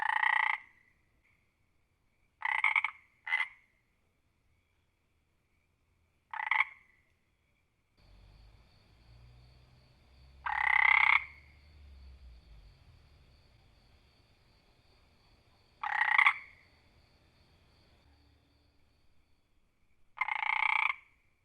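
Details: Scattered frog croaks over about twenty seconds, some brief clicks and some fuller rattling calls, spaced irregularly a few seconds apart. A low rumbling hum runs underneath through the middle stretch.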